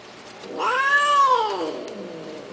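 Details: A cat lets out one loud, arched yowl that swells quickly, peaks at its middle, and slides downward into a low fading tail, clearly tonal with strong overtones and nothing else audible.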